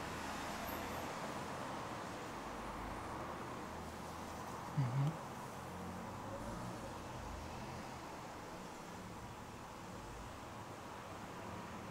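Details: Low, steady traffic-like rumble fills the recording, with a single brief soft thump near the middle and no animal call.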